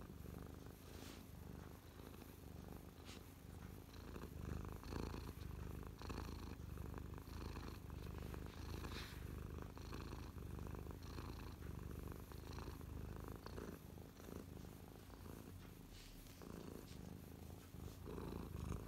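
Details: Mia, a domestic cat resting on a lap and feeling happy, purrs up close on 12/12/2023; deep continuous rumble cycling with each breath, soft scratchy rustles over the top.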